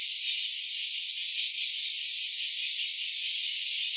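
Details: Cicada calling, with iPhone and phone audio in stereo: a dense, continuous, rattling buzz held steady with slight pulsing throughout, no other sounds.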